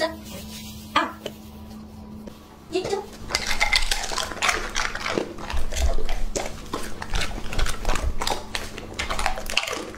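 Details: Lucky, a two-and-a-half-year-old male English Labrador Retriever, eating. A quiet hum-filled start gives way after about three seconds to dense, irregular crunching and wet chewing bursts, roughly three or four per second, close and loud.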